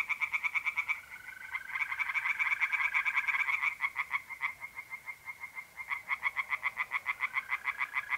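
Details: Pond tree frogs calling at night in mid-April in North-East Italy, a dense series of quick, regular rasping croaks, several per second, with a mole cricket's steady high trill running underneath.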